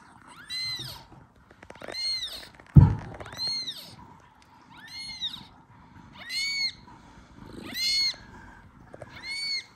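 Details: Newborn kitten, one hour after birth, meowing loudly to call its mother cat Kira, who seems unsure what to do; seven high arched meows, roughly one every one to one and a half seconds, with a brief low thump near the third.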